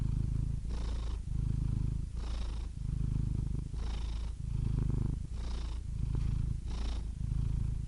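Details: Domestic cat purring steadily, a low continuous rumble swelling and easing in alternating phases roughly every second and a half, each phase carrying a faint breathy hiss; no other sounds.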